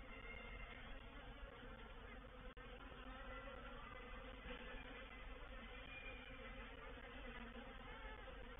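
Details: Reproductive swarm of honey bees entering a bait hive, or swarm trap, at Painted Peacock Manor, 04/07/21; a steady, even droning hum without pause, broken only by one short click near the middle.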